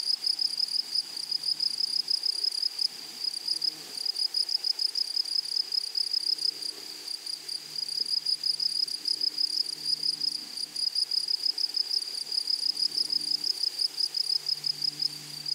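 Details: A flowery prairie meadow alive with grasshoppers, their sharp high trill pulsing quickly and continuously, slightly louder in bursts, with faint low tones drifting in the background.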